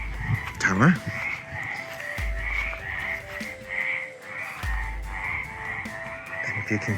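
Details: A chorus of frogs croaks steadily at night in the moat of a château in the village of Avensac, Gers, south-west France, with a few low thumps and faint voices.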